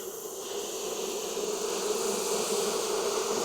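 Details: Honey bees at a backyard hive in Texas, opened for inspection on a hot day around 92F after three weeks of rain; a loud, steady, dense hum holds one low droning pitch with bright overtones throughout.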